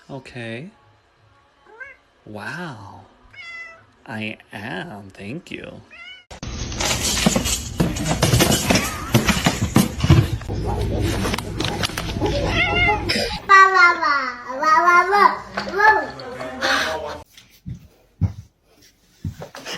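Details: Pet cat from a comic compilation making short rising and falling meows at the start, then a burst of loud noisy commotion, followed by a run of wavering, whiny meows among people talking.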